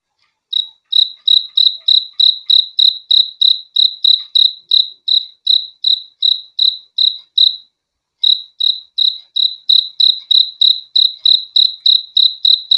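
A cricket chirps steadily, short high pulses repeated about three times a second.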